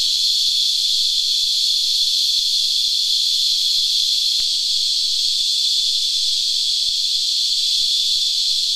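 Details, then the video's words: Christmas beetles, as cicadas are locally known, feeding on tree sap and producing a continuous high, buzzy whine by rasping leg and wing, steady throughout, with faint low tonal notes near the end and light clicking. "Singing Cicadas"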